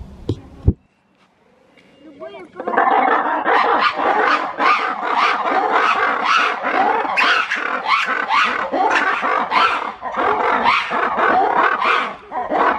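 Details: Black-and-white ruffed lemurs at Novosibirsk Zoo call to each other on 14 September 2019, a loud, raucous chorus of harsh, pulsing shrieks.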